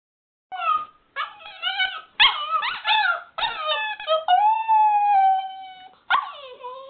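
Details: Border Terrier puppy howling at its squeaky toy: a series of short rising yips and whines building into long, steady, slightly wavering howls with rich harmonics, then a final falling cry.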